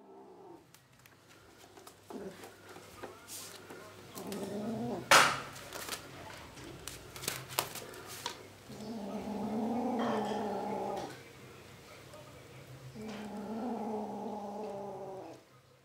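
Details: Kittens indoors, with drawn-out, wavering meows that rise and fall, two long calls lasting about two seconds each near the end, plus scattered thumps and rustling.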